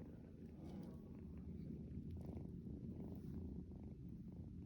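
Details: A kitten purrs continuously as it wakes its owner at dawn, a deep even rumble with soft pulsing and a little rustling.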